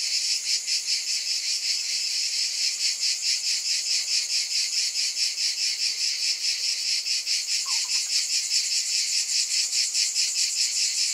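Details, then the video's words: A steady, shrill cicada buzz fills the whole stretch, throbbing in regular pulses roughly every half second, with a brief faint chirp from something else near the end. "Scintillating Cicadas"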